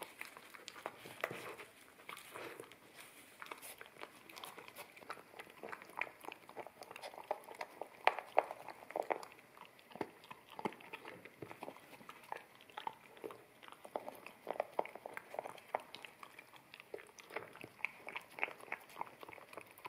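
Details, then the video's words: Wet kibble eaten off a bamboo plate by an American Akita puppy in a small room, stereo ZS100 recording; continuous moist chewing and lip-smacking, bursts of crunching and clatter, dense irregular clicks. "Akita Puppy Eating Wet Kibble From Bamboo Plate"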